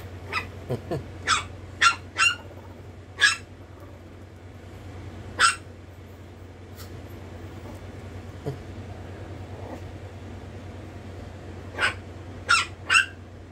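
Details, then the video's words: Chihuahua puppy giving a scattered series of short, sharp, high yaps, some in quick pairs, separated by long quiet gaps over a steady low hum. "baby Chihuahua disturbing a monster"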